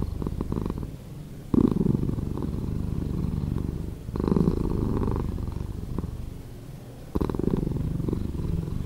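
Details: Slowed-down purring of a cat: a deep buzzing rumble in long cycles, each louder phase starting abruptly about every three seconds and fading into a softer stretch before the next.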